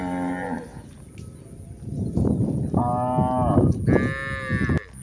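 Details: A herd of village cows grazing on a green pasture during a full day outdoors; several low in turn, each moo long, throaty and wavering with a harsh edge, over a soft field rumble.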